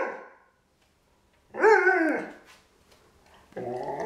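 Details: Irish Setter giving one strong, harsh bark with a rising-falling tone, followed after a pause by a shorter, moaning bark-like vocalization.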